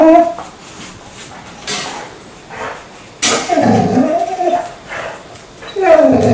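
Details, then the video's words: Pet dog indoors, waking its owner in the morning during hot weather, making strange vocal sounds: wavering whiny moans, a short one at the start, then a longer rising-and-falling whine midway, with soft rustling between. "아침마다 알수없는 소리를내며 주인을 깨우는 강아지"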